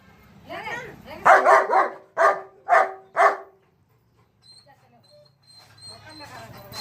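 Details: German Shepherd giving a quick burst of five or six loud, rough barks, then falling quiet while faint background sounds and a high whistle-like tone continue.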